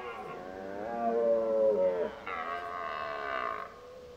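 A red deer stag calls during the rut with a long, harmonic, moaning bellow that rises and then steps higher.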